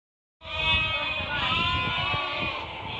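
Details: Merino sheep offered for export from Hungary, viewed by a buyer from Turkey; a loud, sustained, quavering bleat with rich harmonics begins abruptly and holds nearly three seconds, with overlapping bleats and low shuffling noise beneath.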